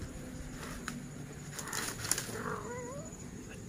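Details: Honey, a pet cat, gives a drawn-out meow that wavers up and down, with a rising and falling tone near the end, over a steady background hiss, with faint clicks and brief knocks before it.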